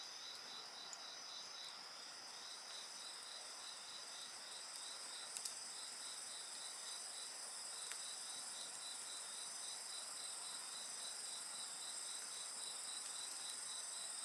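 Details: Chorus of insect voices beside a crackling bonfire, with continuous high-pitched ringing tones over quick, evenly pulsed chirping and occasional loud pops from burning wood around five seconds in.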